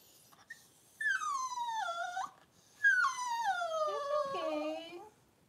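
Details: Indoor whelping of Cavalier King Charles Spaniels, Daisy giving birth to six puppies within two hours; two long drawn-out whines, each starting high and sinking steadily lower over a second or more, separated by a short pause, in a quiet room.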